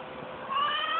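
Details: A domestic cat gives one drawn-out meow, a steady harmonic tone that swells louder and brighter about halfway through before stopping abruptly.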